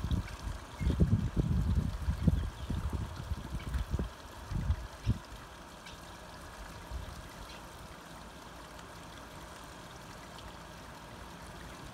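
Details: Low rumbling, trickling noise like running water or handling, with no animal calls.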